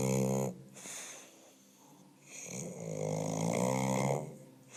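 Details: English Bulldog snoring: a short rasping snore, then quiet breathing, then a longer, louder, buzzy snore with a hissing edge of air before it fades.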